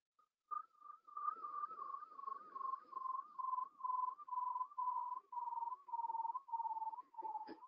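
A bearded seal gives a long warbling trill of rapid whistled pulses that slowly slides down in pitch.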